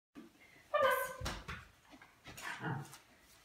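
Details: Female Cairn Terrier giving one clear, tonal, whining bark followed by softer, breathy noises, recorded indoors, with a person's voice just after.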